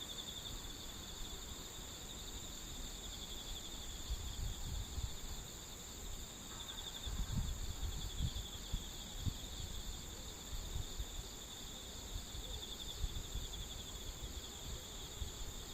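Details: Singing insects on a September morning keep up steady, high-pitched trilling and shrill buzzing over low rumbling outdoor noise.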